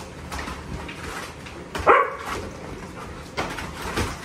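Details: Dogs excited on seeing the whelping box, one giving a single short sharp bark or yelp near the middle, with faint whimpers and clicks and knocks around it indoors.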